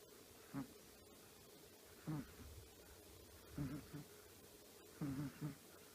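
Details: Small snores from Choppi, a sleeping 10-year-old female Chihuahua resting contentedly indoors: short, low, buzzy puffs, sometimes doubled, roughly every one and a half seconds against faint room hiss.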